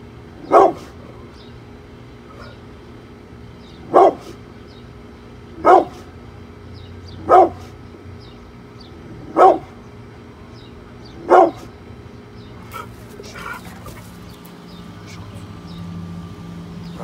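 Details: Brindle Pit Bull named Bullet guarding the house against construction workers outside: six deep, loud single barks spaced roughly every two seconds, then clattering noises near the end.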